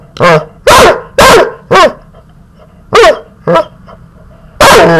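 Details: High, sharp barks from a puppy being teased come roughly twice a second in uneven groups, each yap short and bright with a slight downward bend.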